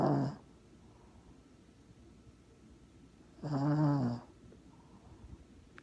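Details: Sleeping pet dog snoring loudly indoors: two harsh, rasping breaths with strong low-pitched buzzing, one at the very start and another about three seconds later, separated by near silence.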